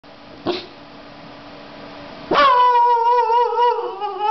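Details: An 18-week-old Boxer puppy, barking for the first time, gives a high, wavering, drawn-out yelping bark after a brief knock and quiet.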